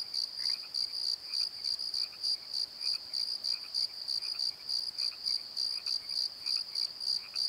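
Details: Pulsed high chirps of crickets after dark in a valley bottom at Pozo, beating steadily several times per second, with a second fainter cricket chirping intermittently underneath.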